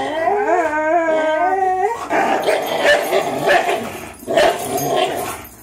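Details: Two 3-year-old dogs, a Greyhound and a German Shorthaired Pointer, in a tug-of-war game; a drawn-out, wavering howl-like whine for two seconds, then harsh growling with a brief yelp.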